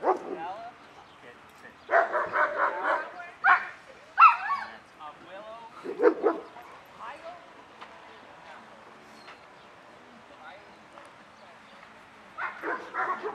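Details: Excited German Shepherd reactions at the start of a social obedience class, 20 June 2020: a run of rapid barks, then single sharp barks spaced about a second apart, later a fresh burst of barking, with people talking in between.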